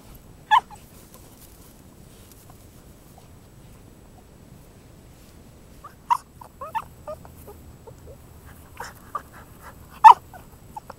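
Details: Viggo, a Cavalier King Charles Spaniel, kissing sheep: sharp, high whimpers at about half a second, six and ten seconds, with quieter squeaky whines scattered between, over a soft background hiss.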